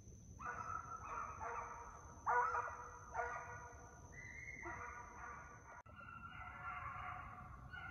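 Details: {'caption': 'Young deer hounds being conditioned in a fox pen while running after coyotes in summer. They give long, drawn-out bays that overlap in a steady chorus, heard from a distance with quiet rural background noise.'}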